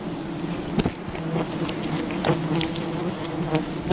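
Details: Swarm of wild bees buzzing as their colony is raided for honey. A low, constant hum is punctuated by a few sharp cracking snaps.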